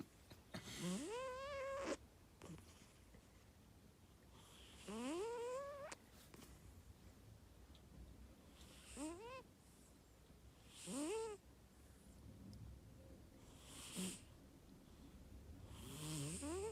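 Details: A sleeping pet cat snoring heavily: loud rising, wheezy drawn-out breaths with harsh noisy bursts, repeating every two to three seconds.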